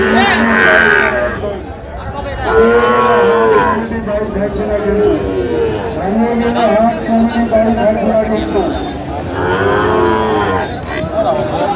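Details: Sahiwal bull calves at a busy cattle market in Kushtia, Bangladesh, on 24 April 2025: several drawn-out, low, harmonic-rich moos, one swelling and fading after another, over steady market chatter and people talking.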